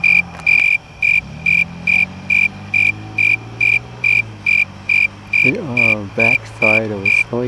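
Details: A snowy tree cricket, recorded close up in a crab apple tree on 2 August 2017, sings steady, evenly spaced trilled chirps, a little over two per second.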